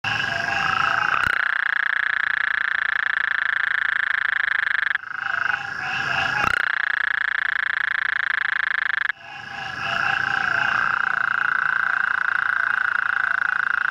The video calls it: Bufo (Incilius) nebulifer Gulf Coast Toad calling